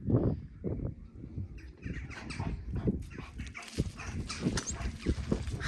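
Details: Two dogs being introduced and getting used to each other, with one dog approaching a person; short, rough barks come in uneven bursts amid a person's voice and outdoor background noise.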